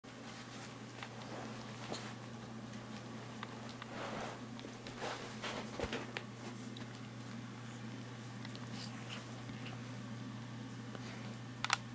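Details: A quiet indoor room with a steady low electrical hum, soft rustling and a few faint taps and clicks, with no animal voice standing out.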